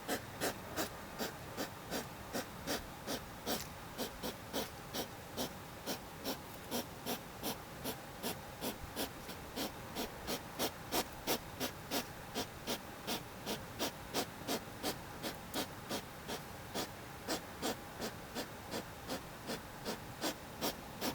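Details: A hedgehog makes a strange coughing, panting noise: short, breathy huffs repeated in a steady rhythm, about two to three per second, throughout.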